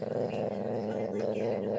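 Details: Pet dog having its neck rubbed, giving a continuous low, rumbling, growl-like moan that holds steady throughout with slight wavering, indoors.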